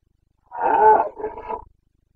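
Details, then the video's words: Wild Carpathian stag in Bucovina, Romania, bellowing during the autumn rut: one powerful, hoarse roar lasting about a second, breaking into a shorter second burst, with no other sounds. "Boncănit / Carpathian stag Breeding season"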